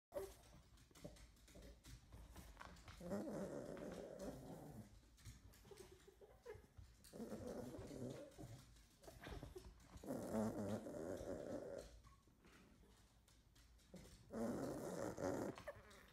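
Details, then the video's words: Nine-year-old female toy Poodle snorting while playing with her toy indoors; rough, buzzy snorts come in sustained bursts of a second or two, separated by quieter pauses, with faint household noise. "Funny Toy Poodle (Snowflake) Snorting and Playing with Toy!"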